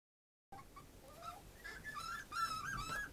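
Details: A dog whimpering after a short silence: thin, high whines that rise and wobble, growing louder and more insistent toward the end, with faint soft yips in between.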